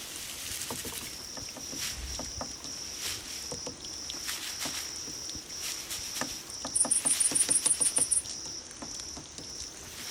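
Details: Grass insects used to lure cats: a steady shrill ringing tone with soft tapping, then, late on, a run of about ten rapid, very high pulsed chirps.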